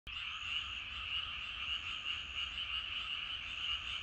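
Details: Many frogs calling together in rice paddies in the evening, a dense continuous croaking chorus with bright bands of sound, steady throughout without pauses.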